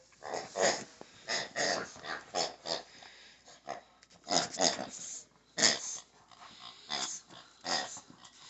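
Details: A Shih Tzu playing with a pig toy makes breathy snorts, wheezes and low growly huffs in irregular bursts about once a second.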